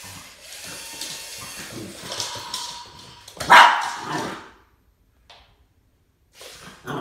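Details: Boston Terrier Max facing off with a snake gives one loud, abrupt bark midway, preceded by scuffling and handling noise and followed by near silence with brief faint sounds.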